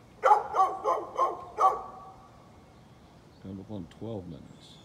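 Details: A neighbour's dog, recorded 13 November 2020, lets out five quick, ringing barks in a burst lasting just over a second, followed after a pause by a lower, humanlike voice speaking briefly.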